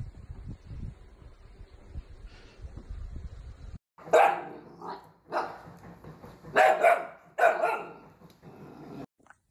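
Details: Dachshund puppies at play. A few seconds of quiet rustling, then a string of sharp, high barks in separate bursts about a second apart.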